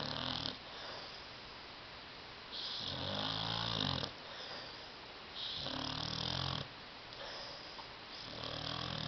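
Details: Tyson, a pet dog asleep on a love seat indoors, snores loudly in long rasping pulls roughly every three seconds, each a harsh buzzy drone with low rumbling tones beneath, quieter breathing between.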